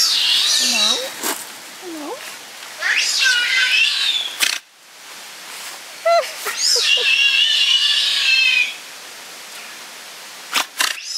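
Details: Giant otters at Chestnut Centre, Chapel-en-le-Frith, a captive family of six with two cubs born there, recorded 25 June 2011; bursts of high, warbling squeals and chirps with several sharp clicks, mixed with people talking nearby.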